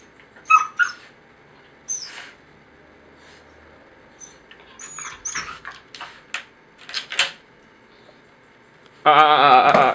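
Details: Chloe the Jack Russell Terrier and Beagle cross, indoors during a noisy argument with her twin, lets out high squeaky whines and short yips, then a loud, sustained, strained vocal burst at the end.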